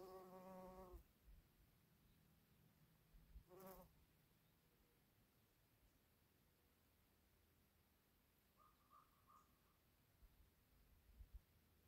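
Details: A female bumble bee foraging and pollinating purple flowers gives two short, low, rich buzzes, separated by a few seconds of quiet.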